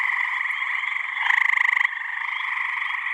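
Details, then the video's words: Gray tree frog, a male calling with a single vocal pouch, an effortful call: a steady pulsed trill with bands near the middle and upper pitch range, louder and more sharply pulsed in the middle stretch, with no other sounds. "that's the gray tree frog, and you can see it takes a lot of energy to make those calls."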